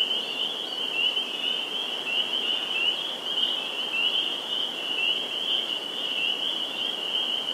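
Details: Dense spring peeper chorus at a vernal pool in Sudbury, Massachusetts, April 11, 2019: countless shrill, high peeps merge into one unbroken, ringing wall of sound with no gaps.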